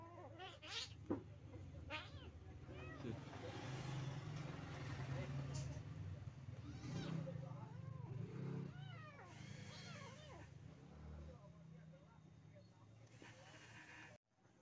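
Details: Mother village cat with her kittens, meowing in short bent calls scattered across the recording, partly masked by people talking and a constant low droning hum.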